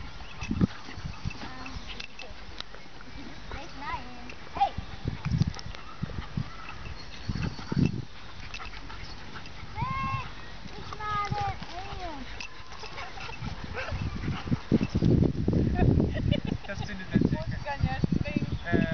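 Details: Two 13-week-old Labrador Retriever puppies give short, rising-and-falling whines among people's voices and soft thumps.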